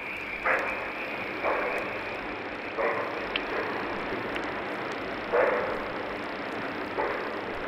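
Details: Bushbuck calling in the wild while cranes circle overhead, perhaps alarmed by a lion: five or six short, harsh broadband barks spaced irregularly about one to two and a half seconds apart over a steady hiss of background noise.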